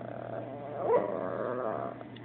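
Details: Chihuahua named Abbie grumbling about a toy taken by her Yorkie brother Sebastian; a short wavering growl-whine with a brief rising yelp in the middle, continuing as a throaty moan, low hum underneath.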